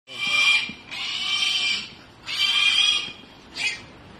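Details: A wild boar piglet gives loud, shrill squeals in four harsh bursts while being caught with a net.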